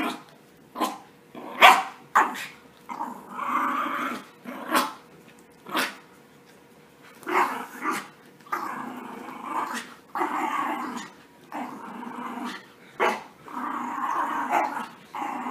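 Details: Bathed puppies at play, trading sharp high yips and short barks early on, then longer raspy play growls that come in uneven bursts of one to two seconds.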